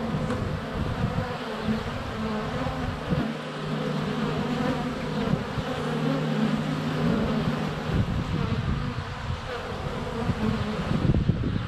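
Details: Close recording at a honey bee hive entrance on a sunny February day, GoPro Hero 7 Black, bees constantly flying by; thick, unbroken low buzz with overlapping steady drone pitches from several passing bees.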